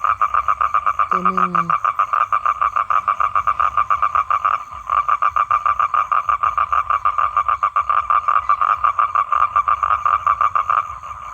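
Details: Toad, a male calling to draw females in to mate, gives an unbroken, loud, rapidly pulsed trill for the whole stretch, with one short pause and a brief human voice near the start.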